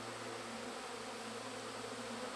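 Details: Honey bees at their hives, intent on the honey in the supers, thousands flying nearby: a constant, unwavering buzzing drone with a steady low hum, filling the whole stretch without pause.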